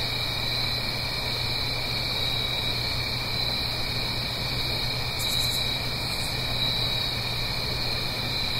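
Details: Nighttime autumn crickets in the Blue Ridge Mountains, uphill from a stream: layered steady trills plus a rhythmic chirp every second or so, two short very high buzzy bursts, and constant soft water rush beneath.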